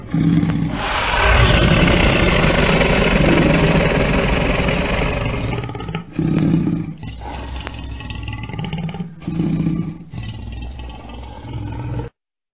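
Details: Lion roaring. A long, raspy, rumbling roar lasts about six seconds. Shorter gravelly bursts follow at intervals, with heavy low-pitched growl throughout.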